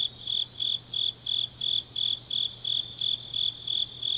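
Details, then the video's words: Deep autumn night in Changnyeong, Korea, where grass insects sing a bright, high-pitched pulsing chirp, each burst short and evenly spaced about three per second, backed by a soft ringing insect chorus. "깊은밤 가을 풀벌레 소리"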